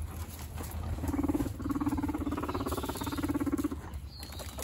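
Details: Dominance fight between two male guinea pig siblings. Three short, buzzy low rumbles of quick pulses run close together, mixed with soft shuffling and a faint background hum.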